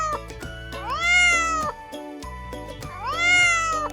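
Two drawn-out cat meows, each rising then sliding down, about two seconds apart, over steady background music.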